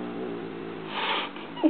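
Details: Indoor pet cat Stinky, irritated by a sound she doesn't like, gives a low, steady, harmonic growling moan of about a second and a half, ending in a brief rising squeak.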